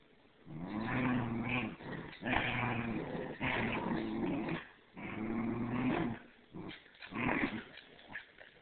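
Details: A three-month-old standard schnauzer and a Bichon at tug-of-war give rumbling, throaty growls in sustained bursts of one to two seconds, separated by brief pauses, over scuffling noise.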